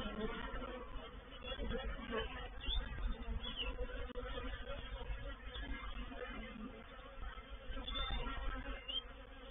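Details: Reproductive swarm of honey bees moving into a bait hive (swarm trap), 04/07/21: a dense, steady droning hum with low buzzing tones and occasional louder swells, some faint background thumps.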